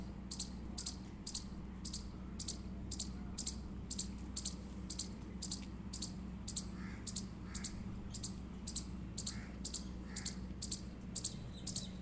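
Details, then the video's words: Chirping Indian squirrel giving a long, even series of piercing high chip notes, about two per second, with a few faint softer mid-pitched notes and a low background hum. "Indian Squirrel Chirping Sound Effect"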